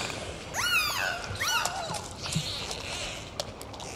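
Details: Dolphins on a full dive: two bright, rising-and-falling whistles with stacked harmonics in quick succession, then fading clicks and a steady underwater hiss.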